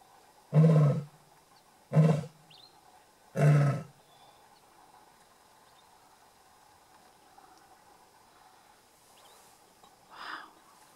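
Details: Lion at Shamwari near Port Elizabeth, South Africa, closing its roar with three short, deep grunts spaced roughly 1.5 seconds apart, followed by quiet with a steady background hum and a faint distant sound near the end.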